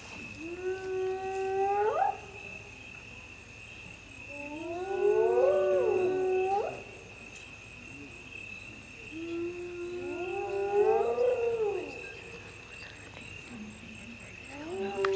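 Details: A hyena at night in the Masai Mara gives long rising whoops, each about two seconds, over a steady high insect drone.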